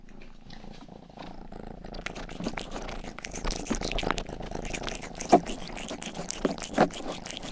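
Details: Rangi, a young house cat, licking a binaural microphone's ears indoors; a faint low purr sits beneath quick, sharp wet licking strokes that start after two seconds, with a couple of louder smacks near the end.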